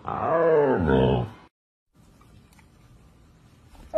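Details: Siberian Husky vocalising indoors during a back-and-forth with a man, a single bent, wavering howl-like moan lasting just over a second, followed by near silence and a brief sound at the end.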